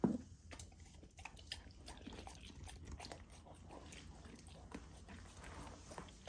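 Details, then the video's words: Golden Retriever puppy eating a raw food dinner indoors, partly frozen to slow her down; soft irregular crunches, licks and wet smacking clicks scattered over a low steady hum. "Raw Dog Food MUKBANG for my Puppy! ASMR EATING SOUNDS"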